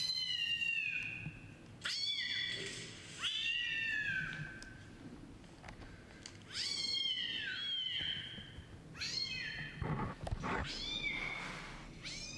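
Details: Laptop playback of a meowing kitten while the Siamese-tabby kitten Chai circles the machine: several high, wavering meows in short bursts, some doubled, with gaps and a few thumps near the end.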